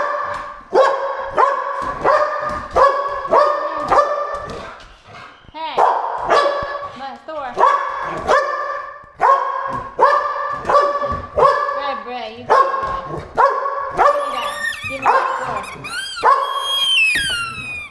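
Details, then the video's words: Pet dogs, three pit bulls and a malinois, barking during indoor play with squeaky toys; sharp, ringing barks come in rapid runs of about two per second, broken by short pauses, with a person's voice among them. "Warning: Barking and Squeaking Sounds!"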